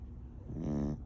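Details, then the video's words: A pet rescue Beagle asleep, one short low buzzy snoring breath swelling and fading within a second. "Banchee the Beagle Snoring"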